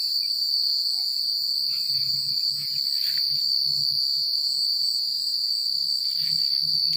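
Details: Crickets chirping at night in secluded countryside, a steady high-pitched unbroken trill with faint shimmering overtones above, scattered soft mid-range chirps and a low rustling murmur of wind and leaves underneath.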